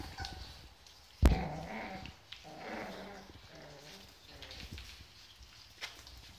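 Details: Rottweiler puppies waiting for their owners give soft, low, wavering whines in short bursts, with a sharp knock early on and a steady background hiss.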